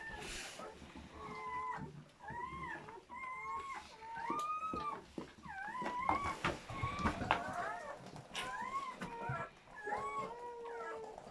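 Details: German Shepherd whelping with seven newborn puppies: a steady chorus of thin, arching squeaks and whimpers, several pups calling at once, rising then falling in quick succession, about four cries a second, with soft background rustling.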